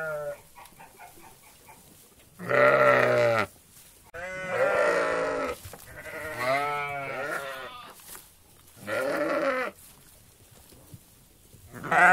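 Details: Several sheep of a meadow flock bleating in turn: a run of loud, quavering, harmonic bleats, some about a second long, others drawn out and wobbling in pitch, with short pauses between callers.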